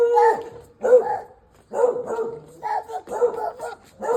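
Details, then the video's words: Dog barking on a road: a run of short, rough barks, in pairs and clusters, separated by brief pauses, roughly one burst every half second to second. "A dog barks on the road"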